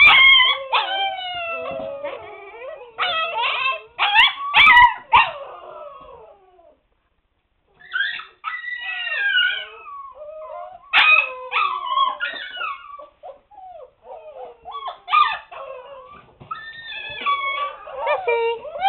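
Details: Several Siberian Husky pups, seven weeks old, confined indoors to a puppy pen, raise a noisy chorus of overlapping wavering howls, yelps and whines in bursts, with a short silent gap near the middle.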